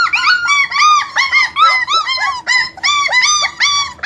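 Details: Brief burst of German Shepherd puppies whining: loud, high, bowed cries in quick succession, some overlapping, with short gaps between them.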